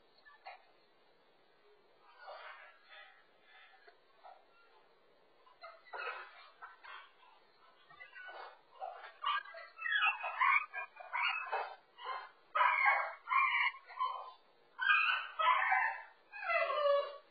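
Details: French Bulldog puppy named Frank, stuck over a wall divider indoors and caught on a home dog camera: quiet murmurs at first, then a run of loud, high, rising-and-falling whines and yelps about once a second, with narrow, tinny sound.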